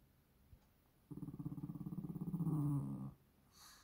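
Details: Shih Tzu brothers playing at home, 12 April 2023: a steady rolling growl of about two seconds, rapidly pulsed and rising slightly in pitch and loudness before cutting off, followed by a brief higher squeak.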